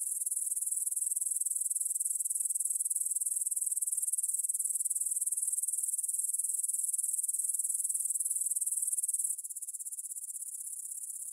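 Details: Evening chorus of grasshoppers by the Svensky monastery field, Bryansk, Russia, 9pm, 6 September 2020, Tascam DR-44WL stereo; continuous high-pitched pulsing buzz, loud for most of the stretch, then suddenly quieter near the end.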